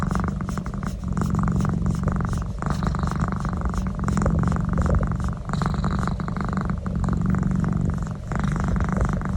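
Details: Pet cat getting a neck massage, purring loudly in a steady low rumble that swells and eases with each breath, with faint rubbing noise throughout.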